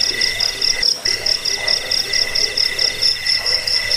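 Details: Cricket (jangkik) sound offered to repel rats, lull to sleep and tutor songbirds: high, shrill ringing trill in fast pulsing chirps over a softer, lower buzzing band, briefly dropping out near the one-second mark before resuming steadily.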